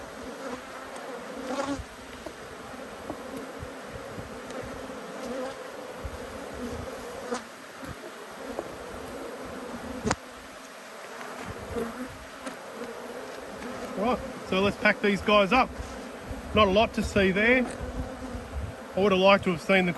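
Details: Honey bees from two hives, cross at being inspected, keep up a steady droning hum with scattered clicks and knocks; a man's voice speaks over the buzz in the last few seconds.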